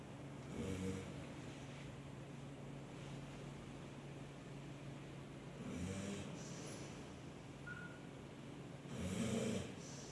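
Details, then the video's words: Simba, a sleeping dog, snoring indoors: soft, rasping breaths swelling and fading at intervals of a few seconds, with a gentle low hum underneath. "Simba snoring"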